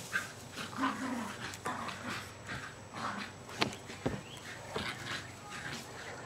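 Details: Jasper and Jaclyn, two almost two-year-old Jack Russell Terriers, play fighting and chasing each other in a freshly sodded backyard in Lenexa, Kansas, on 5 May 2009. Soft, rough growling bursts and short yips come between scuffling thumps over steady background hiss.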